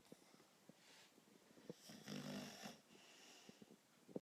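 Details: Sleeping dog named Master Yoda snoring loudly: a rough, rasping snore swells for about a second in the middle, with scattered soft clicks and snorts before and after in a small room.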